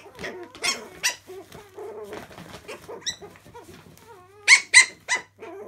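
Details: Chihuahua puppies at play in the laundry: choppy little growls and high squeaks in quick succession, several loud sharp yelps near the end.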